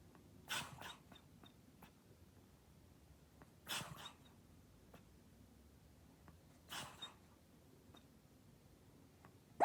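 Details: Toy Poodle with a striking snoring habit: three short, breathy snorting bursts about every three seconds, with a faint hiss of quiet breathing between them.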